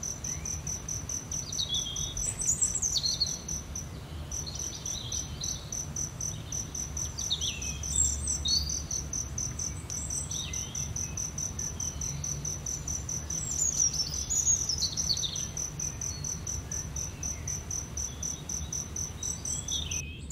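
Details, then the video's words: Cricket keeps a continuous high, rhythmic pulsing while birds call intermittently with short twitters and whistles, over a low background rumble. "Cricket sound"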